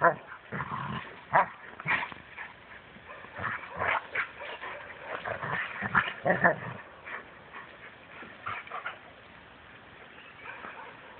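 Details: Rhodesian Ridgebacks in Mombasa giving a run of short, rough barks and yips, some bunched close together and others spaced out, fading toward the end into quieter, scattered sounds.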